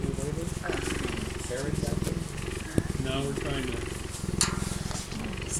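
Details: Low, continuous pulsed purring from a cheetah runs beneath people talking close by, with occasional taps and handling noises.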